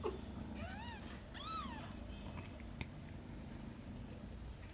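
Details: Shin, a cat nurturing Camel's kittens, with two clear, high, arching meows in quick succession, then near silence apart from a low background hum.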